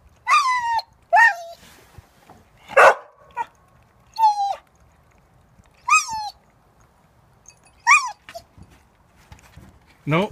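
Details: Pet dog Chewbacca watching the household cat steal from his food bowl, giving short, high, whiny yelps with a sharp upward start, about six of them spaced one to two seconds apart, with a few soft clicks between.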